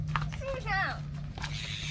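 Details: Kitten stuck up a tree after climbing to raid a bird's nest, crying out while being pecked by a big bird; one short, bright, slightly wavering meow that rises then bends downward, over a low steady hum and faint background noise.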